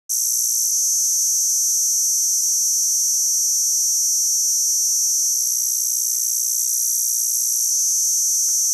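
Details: Kaempfer cicada, Platypleura kaempferi, singing a continuous, intense high-pitched buzzing drone that holds steady without pause, with a faint low hum beneath it.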